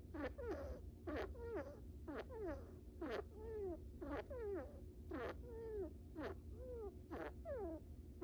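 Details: Small pet brown rat, male, napping and snoring: a string of short, squeaky, downward-sliding chirps about once a second, each with a soft breathy puff. Faint steady hum underneath.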